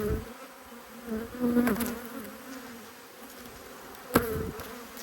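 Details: Honey bees from two hives angered by inspection, 5 March 2022: a steady low buzzing hum with a higher overtone, broken by a few sharp knocks and clicks of hive handling.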